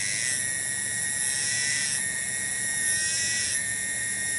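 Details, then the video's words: A lone cicada (tonggeret) filmed in a garden at Kampung Bunder, Cibening village, Bungursari, gives a continuous loud, shrill metallic drone, dipping slightly in intensity roughly every one and a half seconds. "SORA TONGGERET DI KEBON"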